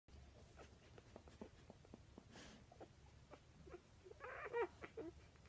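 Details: Newborn Weimaraner puppies from a litter of seven (four males, three females), some less than an hour old, give soft clicks and snuffles, then a brief high, squeaky whine.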